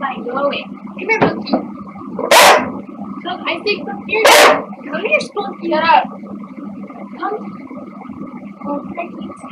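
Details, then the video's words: Two pet dogs over ten years old, a corgi/lab mix and a shih tzu poodle mix, playing indoors with their owner: two loud sharp barks a couple of seconds apart amid scattered yips, with human speech and a steady indoor hum. "PLAY DOGES"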